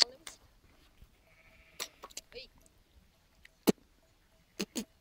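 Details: Flock of sheep grazing above an old village graveyard known as the Bogomil or Greek cemetery, near Kakmuže, Montenegro; a single drawn, nasal bleat of about half a second, among sharp clicks and knocks in a quiet outdoor setting.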